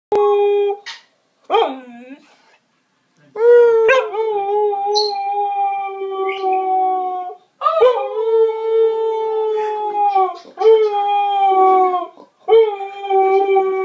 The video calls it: Zina the husky singing again